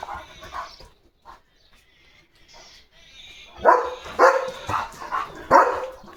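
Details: A male German Shepherd at home, on a summer evening, spots another dog outside and gives a run of loud, deep barks after a few softer, quieter ones.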